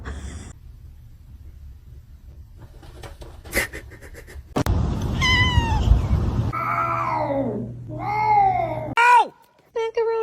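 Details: Cat meowing in a run of drawn-out, wavering calls, one sliding downward, then a short sharp meow, over indoor room noise with snatches of human voice.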